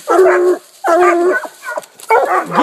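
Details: Coonhounds, two Walkers, a Bluetick and a Black and Tan, treeing a raccoon at a new hunting spot eight minutes after turn-out. Drawn-out, ringing bawls of about half a second, three in a row with short gaps between.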